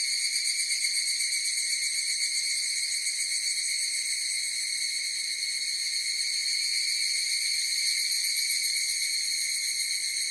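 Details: Many higurashi cicadas sing at once, giving a sustained, sharp, whining drone with a subtle rapid wavering, slightly stronger at the start and otherwise level.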